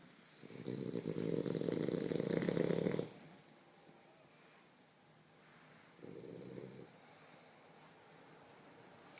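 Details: A sleeping French Bulldog cuddled in a blanket snores with a coarse, rattling, low-pitched rasp drawn out for a few seconds; after a quiet pause a shorter, softer snore follows.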